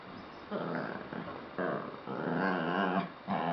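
A Lhasa Apso talks back in a run of drawn-out, wavering, grumbling moans and whines.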